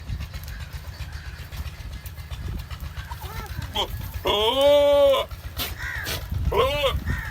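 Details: Goat on a farm during breeding season, possibly of the Dera Din Panah breed: a loud, steady, nasal bleat lasting about a second at mid-clip, with shorter calls before it and a brief rising bleat after it, amid talking and background noise.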